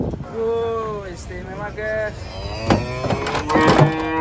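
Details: Cattle leaving a truck give several short, falling moos and a rising one, mixed with voices, sharp knocks and engine noise.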